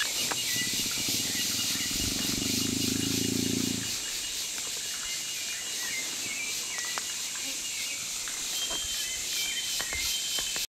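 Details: Rescued young jaguar seeking attention from people through the fence of a temporary enclosure gives a throaty, pulsing rumble for nearly four seconds, then falls quiet while a constant shrill insect drone and scattered faint chirps continue.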